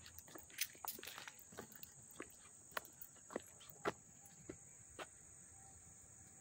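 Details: Crickets in Hastings-on-Hudson, New York, heard up close on August 13, 2024: an unbroken shrill high trill under irregular loud clicks and footsteps.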